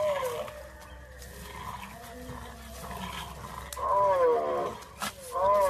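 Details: French Bulldog from a funny puppy compilation, making a quiet stretch of murmuring sounds and then a loud, wavering, sing-song howl followed by a shorter one, with a woman speaking softly nearby.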